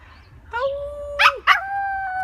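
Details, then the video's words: Angel, a 4 lb toy poodle, howling along to a fire truck siren: a long steady tone that dips, then two sharp yelping bursts and a held higher note to the end. "Toy poodle Angel with fire truck siren round 2"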